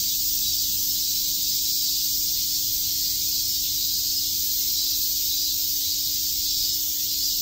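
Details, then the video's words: On a summer day in Tokyo's Shakujii Park, massed cicadas keep up a constant, even, high-pitched hissing drone throughout, with no other clear sounds. "Cicada chirps"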